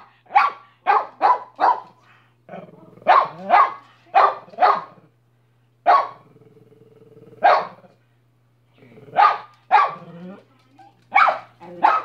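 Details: A dog named Minnie barks in quick bursts: four sharp barks, then a spaced run of single and paired barks across twelve seconds, with a faint low hum and a soft sustained tone between some barks.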